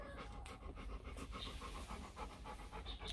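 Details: Four-day-old Rottweiler puppies from the litter of Vietnamese champion Loki Gervi and Faye; quick, soft breathy grunts repeat about three to four times a second, low and irregular, over a muffled indoor background.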